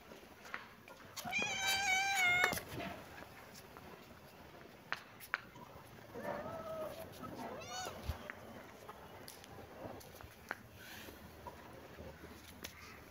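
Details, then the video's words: A kitten and a cat playing in a happy mood; one clear high arched meow with stacked overtones near the start, then a softer second meow and faint later calls over quiet room noise. "Baby kitten and cat playing 😺❤️-happy mood-kitten and cat meowing"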